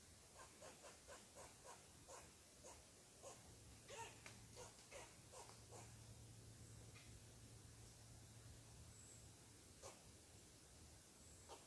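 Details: Squirrel barking in annoyance at a person sitting on its tree: a quick string of clipped, gritty barks that slows and fades, then one last isolated bark, with a low steady hum underneath.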